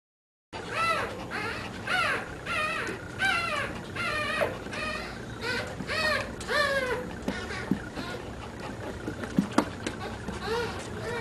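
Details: Three-week-old puppies with their mother Dada, indoors in a small room, give a steady run of high, arched whimpers and yelps, about two each second for seven seconds, then a few soft clicks and bumps.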